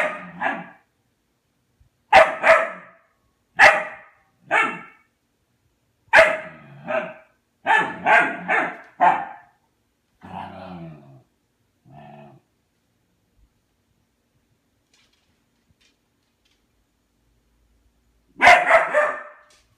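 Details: Barking at his food bowl to get fed, Albert lets out a steady string of sharp barks, then two softer, lower grumbling sounds, a long quiet gap, and a final double bark.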